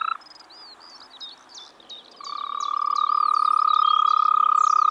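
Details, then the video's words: Frog in spring in the Czech Republic: a brief pulsed burst, two seconds of bird twitters, then a long, loud, rapid trill holding one pitch and building in strength. "European frog calls"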